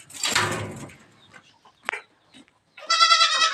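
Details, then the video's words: A goat kid on a farm, being let loose in the morning, gives a nasal harmonic bleat near the end, after a loud noisy burst and a brief sharp click, with quiet gaps between. "शेळीची करडू सोडायला लावली दादाला सकाळी"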